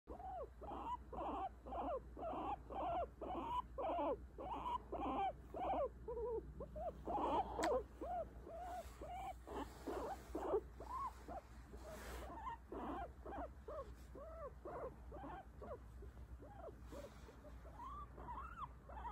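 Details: Guinea pig being petted, signalling where it wants to be touched and where not; a long run of short rising-falling whining notes, about two per second, steady and slightly irregular, with faint background hum.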